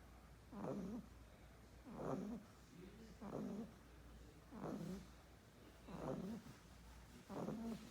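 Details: English Bulldog puppy asleep and snoring: short raspy, snorting breaths repeat evenly about every one and a half seconds, six in a row, over a low steady hum.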